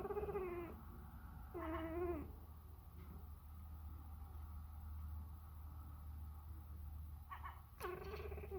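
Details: Sacred Birman cat talking to a seagull, giving drawn-out harmonic meows at the start and end with a long quiet stretch between, low rumbling hum throughout.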